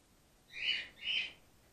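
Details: Gwickle, a grey-headed flying-fox pup on her second day in care and being bottle fed after her mother was trapped and concussed in an empty swimming pool, gives two high squeaky calls about half a second apart.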